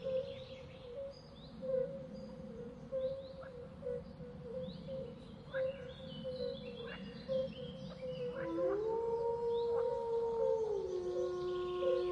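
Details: Wolf howling: after eight seconds of birdsong chirps over a steady humming background tone, a single long, smooth howl rises, holds level for about two seconds, then drops lower and continues to the end.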